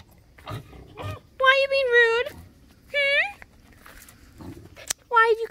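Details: Esme, a pet fox described as rude and moody in the morning, gives long harmonic whining cries, three drawn-out and wavering calls, amid a woman's coaxing talk and faint rustling.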